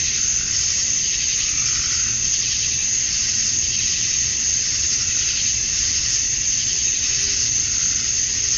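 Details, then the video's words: Male cicadas on a summer night in Georgia, USA, chirping at dusk to attract females: an intense, sustained high drone, uniform in level, with a faintly shimmering texture and a few tiny high ticks overhead. "Cicadas at Dusk, Summer Night"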